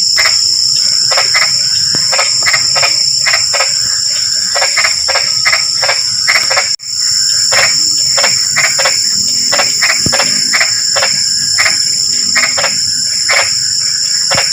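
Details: Frog chorus in drizzling rain: clipped, rasping croaks come in quick uneven runs, overlapping callers, against a steady high-pitched insect drone; a momentary break in the sound near the middle.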